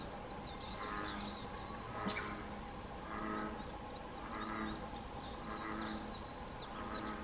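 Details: American bullfrogs floating stretched out in a pond give deep, resonant droning notes about every second, with twittering birds above.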